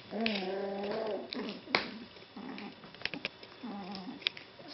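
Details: Golden Retriever puppies: a drawn-out, wavering whine in the first second, then shorter soft whimpers, with a man's voice greeting the pups nearby.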